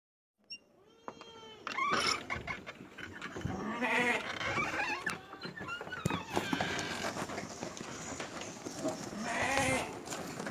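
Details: Several farm goats bleating on March 28, 2025: overlapping wavering, nasal bleats rise and fall at irregular moments amid busy barn clatter and scattered knocks.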